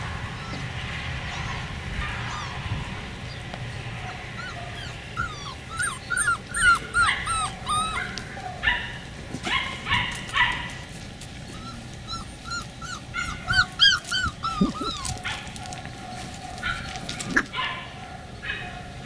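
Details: Beagle puppies of the Camo and Buddy litter, dated 4/27/20, giving a busy run of high, rising whimpers and short yips, several voices overlapping in irregular bursts over a low steady hum.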